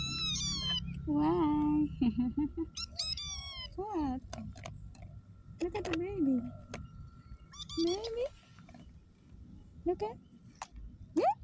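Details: Street cat meowing repeatedly with short rising and falling cries, mixed with people speaking to it indoors.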